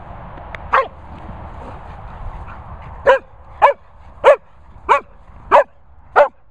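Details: Sprocker spaniel Barney at a Worcestershire countryside kennels: one bark, a pause of two seconds, then six punchy barks in a steady rhythm roughly every 0.6 seconds, low mechanical hum underneath.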